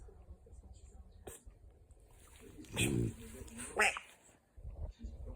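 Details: A French Bulldog, newly taken in as an emergency rehome after its owner died on holiday, fake-snores with loud, rough snorting snores while people chat and laugh nearby.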